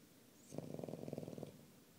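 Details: Nico, a pet dog, snores in one rattling inhalation of about one second: a fast train of low buzzy pulses, steady in pitch, beginning and ending abruptly in a quiet room.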